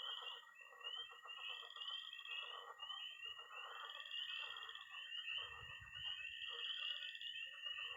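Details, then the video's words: Peeping tree frogs, croaking pond frogs and high-pitched trilling toads on an early spring night in Missouri. A thick, ringing peep chorus and steady trill carry on throughout, with busy mid croaking and a low rumble about two-thirds through. "Relaxing sounds. 20 minutes of toads and frogs, sound only!"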